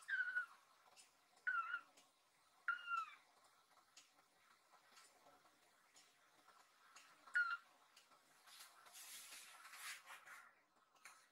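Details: Rescued kitten Nan, worried about an owner lying tired on a sofa, climbs onto the owner's body and meows loudly as if asking "are you okay?"; four short, clear, slightly falling meows in the first half, then soft rustling indoors.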